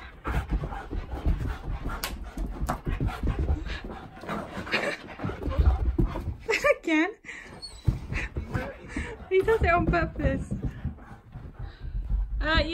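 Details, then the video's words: Keyush the Siberian Husky during a bout of zoomies: heavy panting and scuffling, then several wavering, rising-and-falling yodel-like whines in the second half, with a man talking over much of it. "What Causes Crazy Husky Zoomies?! ANYTHING!"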